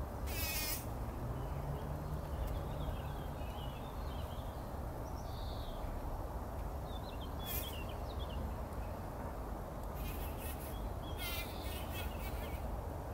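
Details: Bumblebees in a poppy flower before sunrise, 2019, bathing in pollen; a deep, unbroken buzzing drone with occasional crackling rustles and faint, scattered bird chirps in the background.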